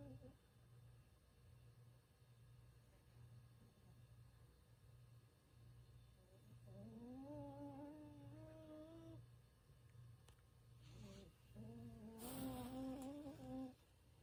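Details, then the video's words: Sleeping Bichon Frisé named Ttangkong (Peanut) snoring indoors: after several quiet seconds over a low steady hum, two whistling, nasal, tonal snores rise slightly in pitch, each lasting about two seconds, with a faint click between them. "비숑 땅콩이 💤 코골이"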